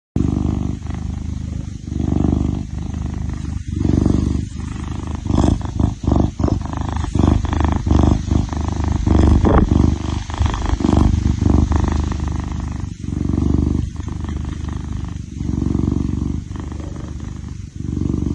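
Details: Kitten purring: a deep, steady low rumble that swells and fades in breathing cycles roughly every two seconds, with faint crackly rustling over it.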